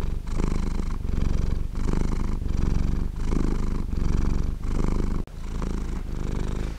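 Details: Cat purring steadily and low, a continuous rumbling drone broken by short pauses at each breath, about every 0.7 seconds, with no other sounds.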